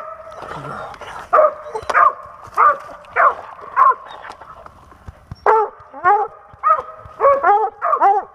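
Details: Dog out squirrel hunting in Pennsylvania in 2021, barking in a steady run of sharp, harmonic barks about every half second to second, growing quicker and more clustered toward the end, with faint voices beneath.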